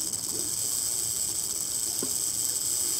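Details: Rattlesnake caught fast near a desert house, later freed, giving an unbroken dry, high-pitched buzzing rattle for the whole short stretch, with faint soft clicks underneath.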